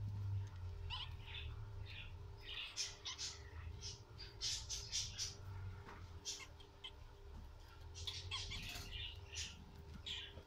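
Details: Around the birth of guinea pigs, short high chirping squeaks come in uneven clusters, denser near the start and again toward the end, over a constant low rumble.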